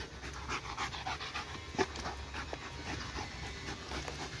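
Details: Excited pet dog watching a laser pointer pants in fast breathy bursts, with one sharper click-like sound midway, over a low hum.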